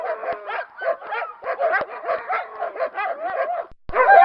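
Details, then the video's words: Dog barking in a rapid, nearly continuous run of short, high, yappy barks with a harmonic, slightly whiny tone, a few sharp clicks between them, and a brief pause before one last burst. "Cachorro Latindo | Barulho De Cachorro | Som De Cachorro Latindo | Latido De Cachorro"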